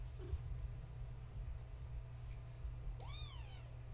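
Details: Kitten of Gaia, a fluffy tabby house cat, at bedtime indoors, litter born 14 March 2017: a single clear rising-then-falling meow near the end after quiet, with low steady room hum throughout.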